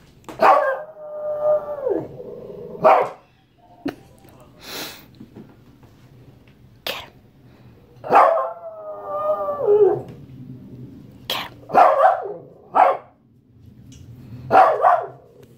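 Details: A male Shih Tzu, angry and wanting his fruit, demands it with drawn-out, whining howls and sharp, short barks.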